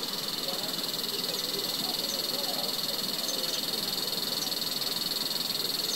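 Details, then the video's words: Cicada calling in Himachal Pradesh, India: a loud, shrill, continuous buzz with a fast even pulsing throughout, over a soft rustling background. "Cicada insect"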